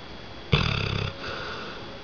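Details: Dozer, a red nose pit bull and American bulldog cross, snoring loudly when tired: one rough, rattling snore of about half a second, low and pulsing, then quiet room noise.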